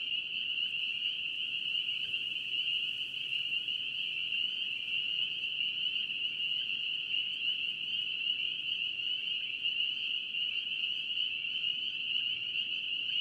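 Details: Spring peeper frogs in North Carolina calling as a dense, unbroken chorus of high, piercing peeps that blur into one steady shrill ringing tone, with faint softer trills beneath and no other clear sounds.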